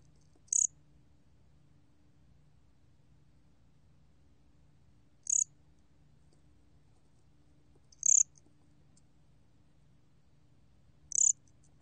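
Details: High, clipped pulsed chirps of a bear cricket, from a 2020 National Institute of Biological Resources recording. Four isolated bursts are spaced three to five seconds apart over quiet background hum.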